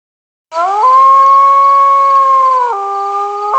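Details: Wolf howl: a single long, steady tonal note after half a second of silence. It starts with a brief rise, holds level, then drops abruptly to a lower pitch near the end. Clear harmonics, no other sounds.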